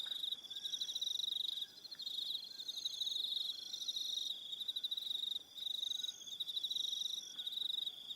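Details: Crickets chirping on an evening on Aroha Island, New Zealand: a dense, continuous high trill with pulsed chirps layered above it, briefly dipping twice, plus faint soft whistled notes lower down.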